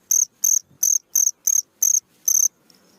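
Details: A cricket sings at night with bright, high, buzzy chirps, seven evenly spaced pulses in under two and a half seconds, then a short pause with only soft faint noise.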